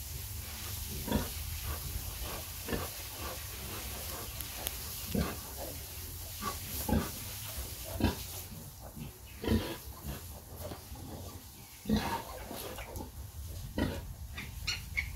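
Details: Sow nursing her piglets, giving short, low grunts repeated roughly once a second, with sharper clicks between them over a constant background hiss.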